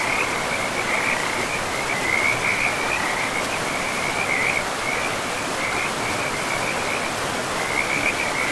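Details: By a river in a forest, frogs give short runs of pulsed, trilling calls at intervals, set against loud, continuous water rush.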